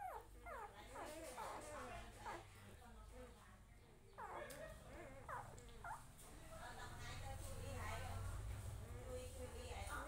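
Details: A puppy with its family, giving high, upward-sweeping whimpers and yips in quick bursts early on and again around four to five seconds, over people talking and a steady low rumble.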